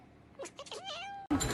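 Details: A domestic cat in a funny compilation gives one short meow that bends downward and then levels out, followed by a sudden loud burst of noise.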